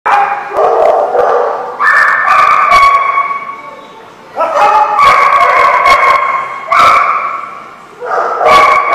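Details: Several dogs recorded on December 21, 2015, give loud overlapping barks and drawn-out yelping, whining tones in long bursts separated by short lulls.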